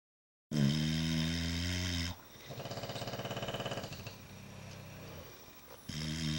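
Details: Sleeping bulldogs snoring, recorded March 4, 2010: loud, low, droning harmonic snores with a rough buzzing edge, then a softer, fluttering, rattling stretch of breathing before another strong, deep snore starts again.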